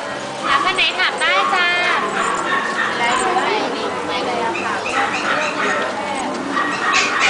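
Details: Puppies at Chatuchak weekend market in Bangkok, Thailand: high, rapid, wavering yips and whimpers from small dogs over a dense crowd murmur of people talking.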